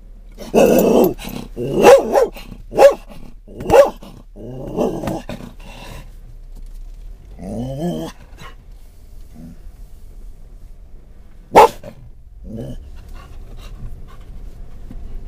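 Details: Scottish Terrier on a car ride in October 2010, reacting to things inside and outside the car: a quick run of sharp, rough barks with growly edges at the start, then scattered single barks and one sudden loud yap amid quiet engine rumble.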